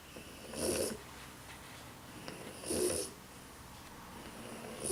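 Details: French Bulldog worn out and asleep, giving two rasping snores about two seconds apart, each a short noisy rumble topped by a thin whistle, near-silence between breaths.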